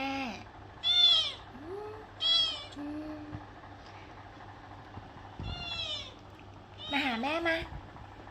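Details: Cat meowing as a woman speaking Thai coaxes it to call 'mother'. Several short, tonal meows, some rising and some falling, come in scattered bursts, with her voice between them and a low steady hum underneath.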